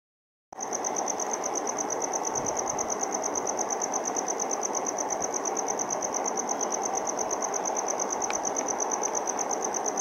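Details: A male cricket, chirping by scraping one wing along toothed veins of the other, keeps up a continuous high-pitched trill of fast, even pulses over a rushing noise like wind or distant traffic.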